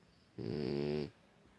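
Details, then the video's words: A sleeping female pet pig, her owner's little princess, resting at home; one low, rough, pulsing snore lasting under a second, dense with buzzing layered tones, in a quiet indoor room. "A princesa porquinha roncando!!!"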